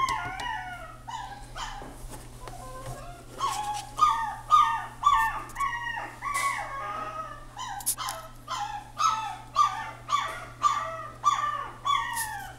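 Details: Shiba Inu voicing repeated high, falling whines and yips, roughly two per second in uneven runs, over a constant low electrical hum indoors.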